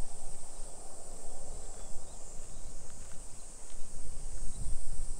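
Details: Summer cicadas in a suburban neighborhood of Nisshin city near Nagoya, Aichi Prefecture, Japan, at 2 PM on 28 July 2021: a steady, high, hissing drone holds without a break, over low rumbling street noise and footsteps.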